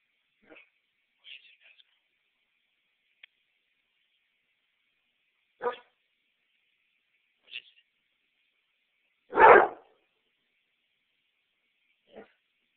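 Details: A dog barking at a sump pump, recorded close up on a cell phone: one loud, sharp bark stands out, with a few faint, brief yips and clicks scattered through otherwise quiet surroundings.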